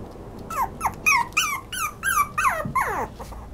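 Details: Toy poodle giving a quick run of about eight high yelping whines, each sliding downward, spaced roughly every half second, ending in a longer falling whimper.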